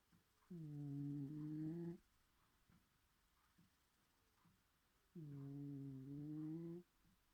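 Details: Loud snoring from Bedford, a sleeping pet cat indoors: two steady, low, nasal drones lasting about one and a half seconds each, the tone lifting slightly toward the end, with a quiet gap of about three seconds.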